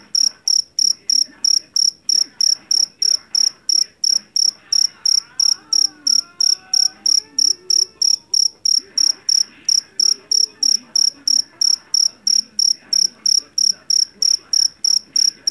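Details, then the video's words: Loud, shrill chirping from a jeliteng or Javanese cricket taken from a rice field, pulsed chirps repeating about three times a second without a break, with faint wavering tones and murmurs in the background midway. "SUARA JANGKRIK PENGUSIR TIKUS SUARA ASLI"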